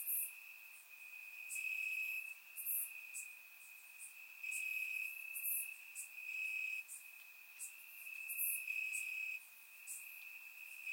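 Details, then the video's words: Night chorus of crickets in Bulgarian summer grass: continuous high-pitched trilling band, louder stretches alternating with quieter ones every second or two, plus occasional very high clicks from other insects. "Cricket Sounds - Crickets Chirping at Night"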